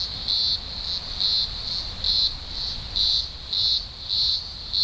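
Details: Green grocer cicadas massed at a large emergence in the Blue Mountains, Australia, early October 2020: a deafening chorus of thousands, a continuous high droning buzz that swells in loud pulses roughly twice a second.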